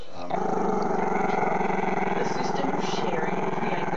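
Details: Chester, a camera-shy Maltese-Shih Tzu pup, growls at the camera in one long unbroken rumble, a low pulsing, harmonic snarl held steady for about four seconds with no pause.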